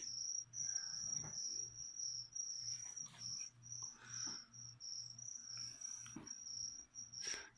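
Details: Crickets kept as live feeder food for a pet leopard gecko, chirping in a steady high-pitched trill broken into pulsed bursts, with soft knocks and handling clicks scattered through.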